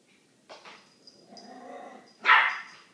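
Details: A little dog barks at a big dog named Manolo who is behind a door. A soft low growl and whine build first, then one loud, sharp bark bursts out near the end.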